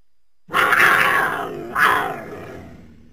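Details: Mountain lion giving two rough, raspy snarls in quick succession, the first longer and louder, the second fading out with a low rumble.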